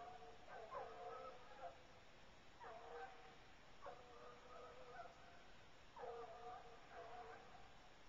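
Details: Two Bluetick Coonhounds on a coon hunt, running a track in a cornfield and then treeing in the woods. Distant, drawn-out baying comes in clustered bursts about every second or two, over a steady background hiss.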